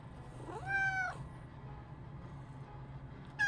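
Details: Domestic cat from a home of talkative cat sisters that meow differently and at different times, such as asking to play or begging when hungry: one clear rising-then-falling meow, then another starting at the end, in a quiet room.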